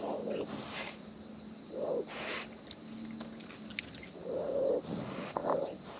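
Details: Wild raccoons eating close up, producing soft, wet chewing and smacking bursts that come in short clusters every second or two, with a faint steady low hum underneath.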